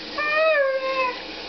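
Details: Demon, a pet male Siberian Husky, answering his owner indoors with a single smooth whining note about a second long, rising slightly then gently falling, meow-like in tone.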